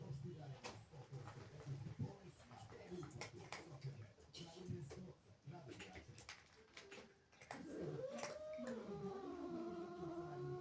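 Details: Angry house cat, jealous of kittens that came into the home, first quiet with scattered clicks and faint voices, then a long, loud, wavering moan that climbs and bends in pitch and holds to the end.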